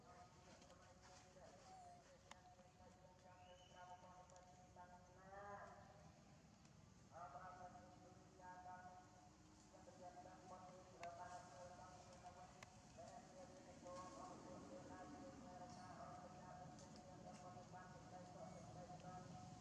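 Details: Baby monkey Janna, injured on the lip, cries from hunger while begging for food; wavering, harmonic whimpers rise and fall in bursts, some sliding upward, over steady low background noise.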